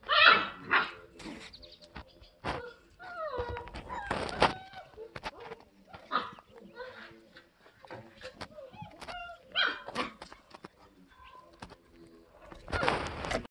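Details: Elsa's German Shepherd puppies, five weeks old, yip and whimper in a busy stream of short rising and falling whines, broken by a few harsh bark-like bursts near the start, middle and end.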